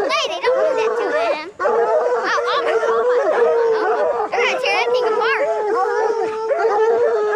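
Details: Coonhounds being trained to hunt raccoons. Several dogs bay and howl together in drawn-out, wavering tones that bend up and down and overlap continuously, with a few brief gaps.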